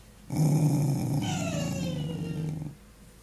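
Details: Nori, a young Corgi, gives a low, rumbling growl lasting over two seconds while showing resource aggression before training.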